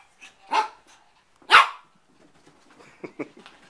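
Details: Shih Tzu puppy Bailey, four months old, confronting his reflection indoors: two sharp, high barks a second apart, then faint soft yips and rustling.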